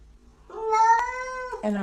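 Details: Domestic cat giving one clear, steady meow, about a second long, that rises slightly at the start and ends with a brief clipped note.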